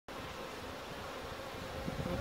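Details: Western honey bees from healthy, thriving hives in the San Fernando Valley, foraging on local flora and carrying pollen baskets, January 11, 2016; a steady, dense, droning buzz that fills the whole recording without pause.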